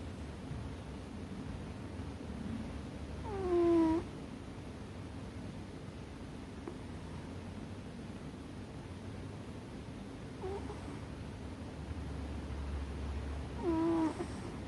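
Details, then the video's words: Sleeping American Shorthair cat snoring loudly atop a chest of drawers: whistle-like tones that slide downward, heard near the start, faintly midway, and again at the end, roughly ten seconds apart, over steady low indoor hum. "豪快なイビキをかいて爆睡するアメリカンショートヘアCute snoring cat"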